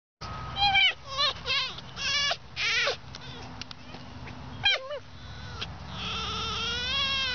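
A fox gives a run of high, squeaky, wavering cries, rising and falling like chattering whistles.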